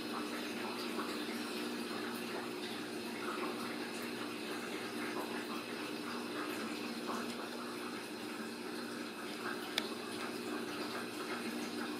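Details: Running water indoors, like a filling tub or tap, fills the room with a steady rush, with faint speech and no animal sound.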